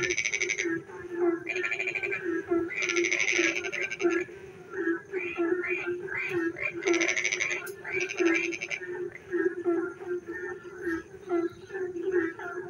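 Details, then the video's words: Frogs singing on a rainy night near a village: a steady low pulsing croak throbs underneath while bursts of rapid, raspy trills break in every second or two, overlapping with scattered short croaks from other frogs. "frog singing in the dark night when it rains"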